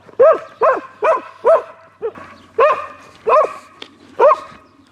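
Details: Foxhound barking: eight loud, separate barks with a rising-then-falling pitch shape, irregularly spaced over five seconds, with a quiet background.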